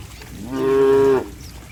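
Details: Cattle in a group running and jumping in mud; one clear moo of about 0.7 seconds, a steady harmonic tone that starts and ends sharply, over quiet background.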